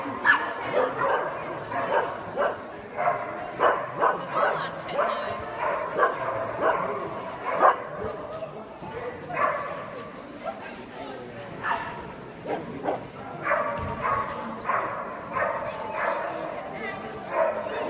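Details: Lhasa Apso at an agility session barking in repeated short, sharp bursts, several per second at times, amid steady talking and background voices of people nearby.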